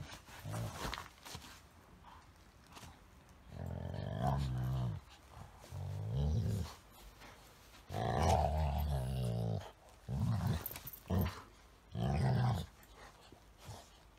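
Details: A female Golden Retriever makes deep, rumbling growls and grumbles in bursts of about a second, a strange dog talk, while play-fighting with a Chihuahua–Shih Tzu mix.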